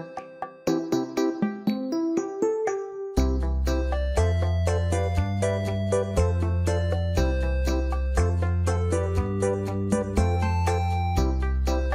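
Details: Upbeat keyboard music, opening with a few sparse piano notes before a bouncing bass line and rhythmic chords take over, with no animal voices present.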